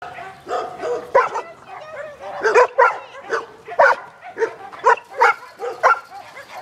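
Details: Giant Schnauzer puppies at a breeding kennel, yapping in a rapid series of short high barks and yips, about a dozen bursts over several seconds, with a person speaking faintly in the background.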